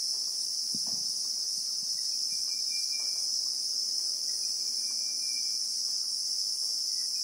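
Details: Christmas beetle (Anoplognathus) drone in the South African bushveld: an intense high-pitched continuous hiss-like buzz, with a few low knocks near the start and soft faint tones in the background.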